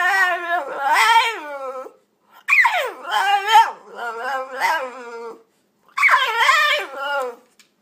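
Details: French Bulldog talking in a small room: a long warbling moan, then a swooping yowl that dips and rises into several grumbling wavers, ending with another rising, drawn-out howl-like phrase.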